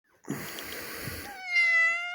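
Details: Kitty, a four-year-old female domestic cat, indoors while giving birth to a kitten with human help, exhausted; rough rustling noise first, then one drawn-out, steady, harmonic meow lasting about a second.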